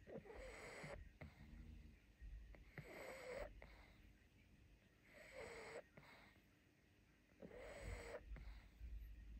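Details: Pangpang the pug, sleepy after a fun day out and fighting to stay awake, snores wheezily: four rasping, noisy breath bursts with a faint whistling edge, spaced roughly two and a half seconds apart, quiet between.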